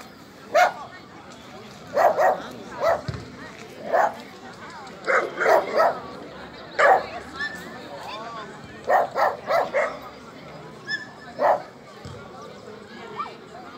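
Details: During a Rally-Obedience G1 class trial, Border Collie Alde barks in irregular short bursts, singles and clusters of two or three, roughly a dozen and a half barks, against steady indistinct talking in the hall.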